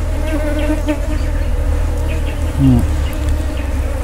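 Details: Honey bees buzzing during a wild honey harvest: a steady, low, droning hum with layered tones, holding evenly throughout, with a brief louder swell near the end and rumbling handling noise underneath.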